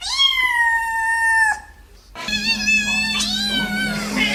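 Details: Cat gives a long, level meow for about one and a half seconds, then after a short gap more meowing returns over a steady low hum and a busier, music-like background.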